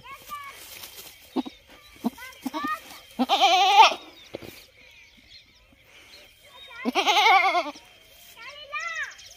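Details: A goat, normally kept by a cooler and taken out to a field today where it seems unsettled, gives two loud, wavering bleats several seconds apart, with faint human voices between.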